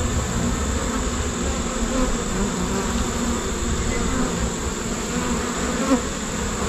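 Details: Honey bee. A honey bee swarm fills the air with a thick, continuous low drone, many wings blending into one unbroken hum. Individual bees buzz briefly louder as they pass close.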